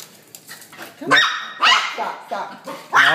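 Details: Pet dogs brought to a trainer for a barking problem: sharp, high barks in quick bursts, about three within three seconds, over a man's voice giving commands indoors.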